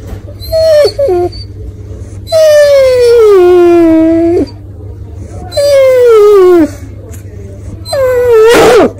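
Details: A male Basset Hound gives long, falling, moaning whines to beg for food.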